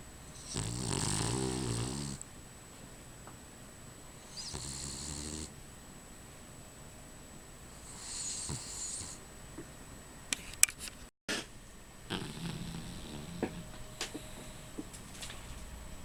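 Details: Rufus, a sleeping dog, snores in loud rasping bursts around 0–2, 4.5–5.5 and 8–9 seconds, each breath broad and noisy with a hiss above; quieter stretches between, then faint clicks and low rustling toward the end.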